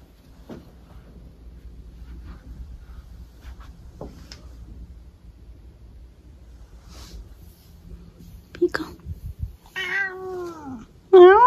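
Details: Maple, a pet cat, during a bout of zoomies: soft thumps and scuffles of running paws, then a short burst of rising and falling meows, the last one loud and close, near the end.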